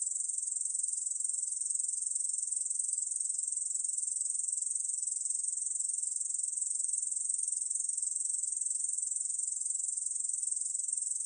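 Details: A Korean bush cricket keeps up a long, even, high-pitched rasping trill of tightly spaced pulses, uninterrupted and unchanging; 2020 recording from the National Institute of Biological Resources.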